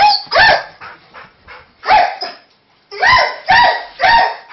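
A Weimaraner barks at fireworks in loud, sharp, ringing barks, singly and in quick runs.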